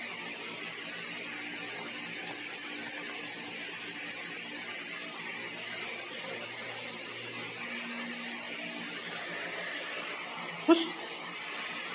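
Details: Steady mechanical hum and hiss fill a small room, with faint low tones drifting in and a single sharp click near the end.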